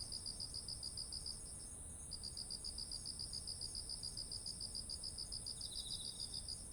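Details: Autumn insect chorus by ripened rice fields: a fast run of pulsed chirps pausing once, then resuming steadily, a short trill from another insect near the end, and an unbroken shrill high drone underneath.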